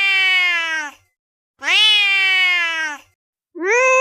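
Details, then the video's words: Angry cat sound for attracting cats: loud, strained meow-like yowls of about one to one and a half seconds, each falling slightly in pitch, repeated roughly every two seconds. "Angry cat sounds to attract cats | the most dangerous cat sound"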